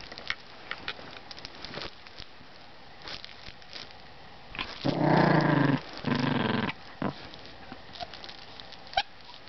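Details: Pomeranian–Chihuahua mix (Pomchi) dog playing with its owner before bedtime. Mostly quiet with faint ticks, then two low, harsh, rumbling growl bursts in the middle, each about a second long, with a short pause between them.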